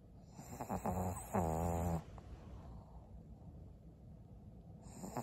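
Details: Maria, a 12-year-old fawn female senior pug in Japan, snores in a few raspy, buzzy bursts with low humming tones over the first two seconds, then settles into quiet, faint breathing.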